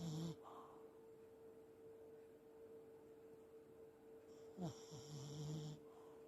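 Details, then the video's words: Elderly Pomeranian snoring while asleep, sometimes talking in its sleep and moving its legs as if running: a short low snore at the start, then a longer buzzy snore near the end, with a steady faint tone throughout. "おじじポメ いびきをたてる"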